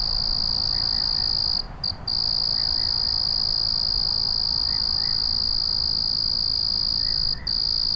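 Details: At night a cricket's steady high trill stops briefly twice in quick succession and once more later before resuming, with soft paired chirps from other callers repeating every couple of seconds in the background.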